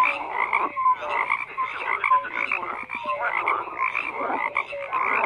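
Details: Many frogs croak at once, harsh rattling calls mixed with short clear rising notes, the chorus swelling and easing but never stopping.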